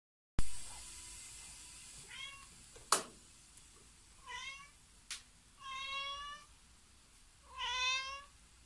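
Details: Siamese cat recorded indoors in January 2020, giving four drawn-out meows that grow longer and louder, each a harmonic-rich wail, with a few sharp knocks between them in a quiet room.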